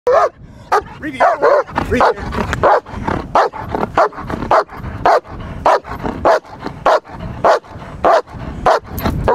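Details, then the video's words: German Shepherd protection dog guarding, barking in rapid-fire bursts: deep, harsh barks repeated almost twice a second, loud and urgent, with a brief word from a handler at the end. "German Shepherd Protection Dog Rapid-Fire Guarding"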